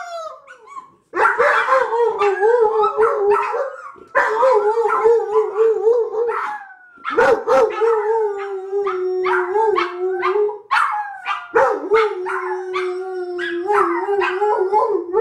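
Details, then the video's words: Three pet dogs, a Lab mix joined by two small dogs, howl together during a package delivery: sustained wavering howls held in long stretches, overlapping harmonics, with brief sharp yips and barks mixed in, pausing briefly between bouts. "Howling during package delivery"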